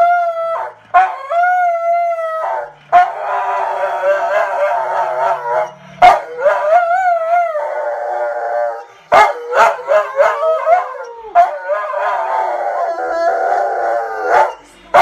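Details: Dog named Charlie howling along with a singer on The Voice on television, long sustained wavering howls in bursts with short pauses, with music and singing from the TV underneath.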